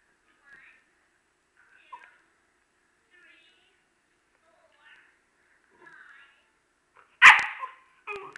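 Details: Okami, a dog who wants to play, fusses at Urd, who cannot hear him: faint soft whimpers spaced a second or so apart, then one loud sharp bark and a shorter follow-up yelp at the end.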